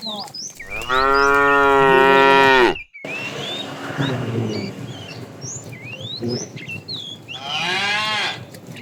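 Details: A fat cow from a tame herd, herded in the afternoon, calling the female with a long loud moo, then a fainter low moo, and a final moo starting, birds chirping around.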